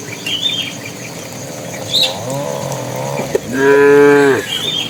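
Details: Tame cattle walking toward their pen, a bull calling the cows: one loud, deep, drawn-out moo of about a second rises and then holds steady near the end, with soft bird chirps before and after.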